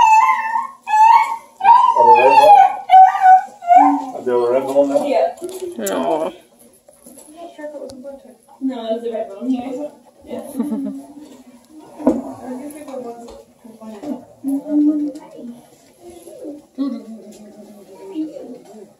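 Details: Bluetick and Redbone Coonhound puppies playing together near Kingston, Ontario, Canada, one pup giving a drawn-out, wavering high howl and yelps, followed by softer lower whines and grumbles, with people talking nearby.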